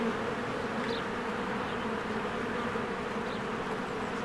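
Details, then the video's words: Honeybees swarming around their hive in spring; a loud, constant buzzing hum from many wings, with two faint short high chirps rising above it. "1 Hour of a Beehive ASMR"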